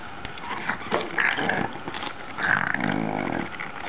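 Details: A nine-month-old female Boston Terrier named Ax, unsure about a brush, growls playfully at it. Low, rasping growls rise and fall in two main bursts, then a longer rumbling growl near the end, with a dull indoor background.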